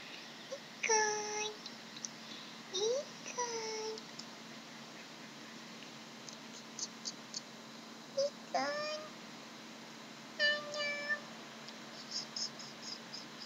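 A Maine Coon cat gives a series of short, tonal meows and chirps.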